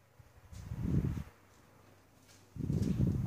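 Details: A Cane Corso gives two deep, rumbling bursts while protecting a kitten from another Cane Corso.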